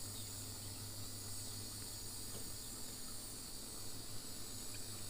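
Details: At an African safari waterhole on 7 November 2025, after recent rain, with green trees and grass around, cicadas keep up a continuous, level, shrill buzzing chorus with crickets chirping in the mix over a faint low hum.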